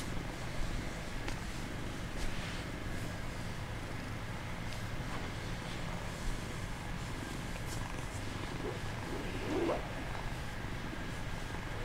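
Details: Bengal kitten purring while pretending to be asleep: a steady, low rumbling purr running throughout, with faint clicks and rustles.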